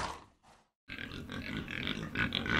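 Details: Domestic pig, a farm animal: a brief spoken word, a short gap, then a dense run of rough, snorting grunts mixed with higher squeaky squeals, continuous and growing louder.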